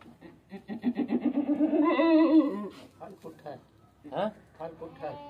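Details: Goat giving birth to twin kids indoors: a nasal, quavering bleat that starts as stuttering pulses and swells into a sustained wavering cry, then a shorter second bleat, with human voices nearby.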